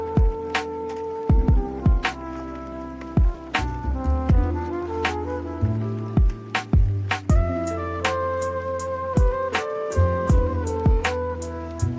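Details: Instrumental music with sustained tones, a steady bass line and regular percussive hits plays throughout, with no animal sound.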